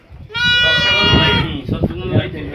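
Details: Lambs of the Santa Inês sheep breed from a breeder's flock: one clear, tonal bleat lasting about a second, followed by a man talking and low thumping handling noise.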